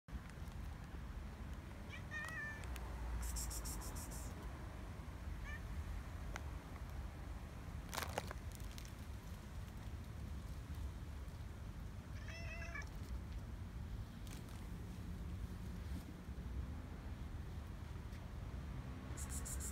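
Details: Stray cats gathering at night to eat in Israel, where an angry gray male drives the others away; two short, faint meows with rising harmonics rise out of steady low background rumble and scattered clicks.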